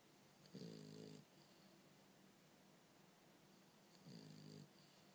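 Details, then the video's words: French Bulldog Bumble B asleep and snoring: two short, low, vibrating snorts about three and a half seconds apart, with faint breathing noise between them indoors. "Bumble B snore"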